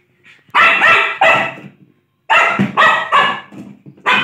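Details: Playful Lhasa Apso giving loud, harsh barks in two quick clusters of three, separated by a short pause.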